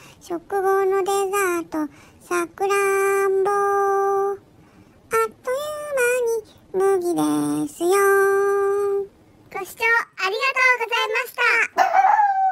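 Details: A Chihuahua × Shih Tzu mix dog out on a walk gives long, tuneful howling whines, with held notes broken by wavering, yodel-like rises; it had met a local cat on earlier walks, but the cat was not found this time.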